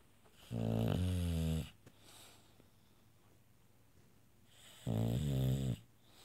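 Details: Olivia, a female bulldog, sleeping and snoring so loudly she is kept on a separate level of the house: two long, rasping, droning snores about four seconds apart, with quiet breathing between.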